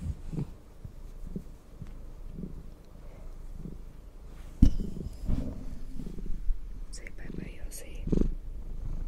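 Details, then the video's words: Purring cat being brushed, a low rumble running under the whole stretch, with a sharp knock midway and soft whispered speech near the end. "cat purring and brushing"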